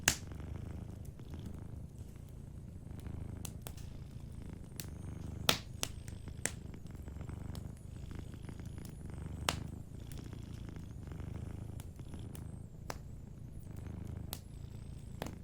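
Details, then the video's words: A sleeping cat purrs softly near a warm fire, its low rhythmic rumble steady throughout while irregular crackling pops from the fireplace ring out every few seconds. "Warm Fireplace Ambience with a Sleeping Cat 🐱💤Fireplace & Soft Purring"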